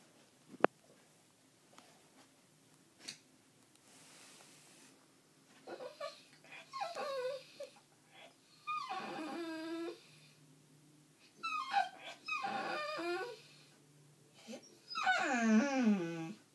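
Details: Dog whining indoors: high, wavering whimpers with bending tones in several bursts, longest and loudest near the end, between quiet stretches with faint breathing and a few clicks.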